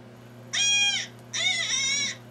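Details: Deer scream from a hunting tape, a vocalization given under duress and full of nonlinearities: two harsh, high, harmonic-rich screams of about half a second each, separated by a short pause, over a steady low hum.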